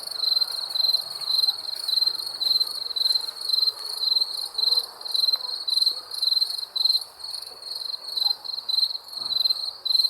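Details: Steady nocturnal cricket chirping: sharp, high trilled pulses repeated about twice a second throughout, with light background noise.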